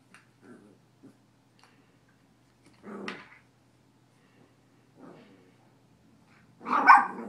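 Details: A puppy playing roughly with a cat indoors; scattered soft grunts and short growls, a sharper bark near the middle, then a loud harsh bark at the end, with quiet gaps between.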